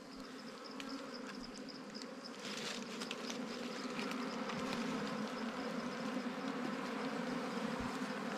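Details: Wild bees buzzing at a nest during a honey hunting season outing: a steady, dense hum with layered low harmonics that swells slightly louder after the first few seconds, plus faint scattered clicks and rustles.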